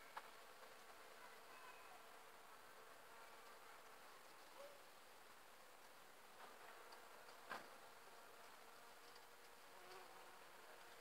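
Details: A bumblebee foraging on privet flowers gives a low, steady droning buzz that hums on without a break.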